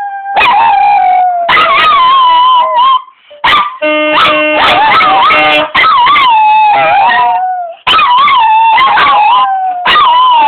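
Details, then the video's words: Pair of dogs joining a saxophone in a howling duet, rising and falling drawn-out howls repeated in several long bursts with short gaps, steady saxophone tones sounding underneath. "Doggy duet with sax"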